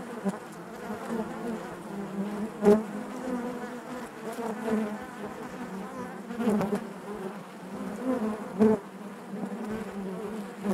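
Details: Honey bees inside their hive make a dense, steady buzz centred low, with layered harmonics and occasional louder swells as individual bees pass close; no other sounds intrude.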